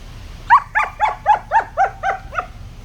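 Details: German Shepherd puppy playing with sticks, kept as a pet in Pakistan: eight quick, high yelping barks with a rising-falling shape, spaced about a quarter second apart, over low background hum.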